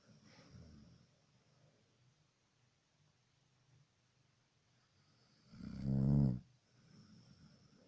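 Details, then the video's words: Snoring dog, one loud, low, buzzy snore lasting under a second near the end, preceded by a softer, fainter snore at the beginning and quiet room tone. "Храп собаки"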